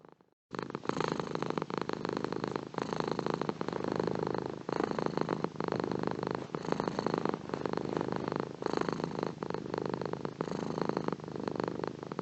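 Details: Purring cat starting after a half-second of silence, then a steady low rumble of rapid pulses rolling in breath-paced swells for the rest of the recording.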